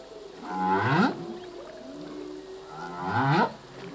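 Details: Humpback whale male singing: two harmonic upsweeping cries about two and a half seconds apart, linked by a faint low wavering tone, over a hiss of background noise.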